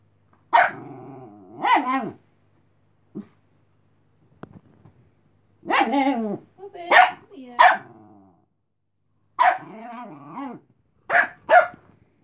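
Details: A sleepy female Chihuahua puppy named Cleo warns off Robin, a dog wanting to play, with clusters of shrill yapping barks mixed with wavering snarls, bursts coming roughly every one to two seconds with short quiet gaps.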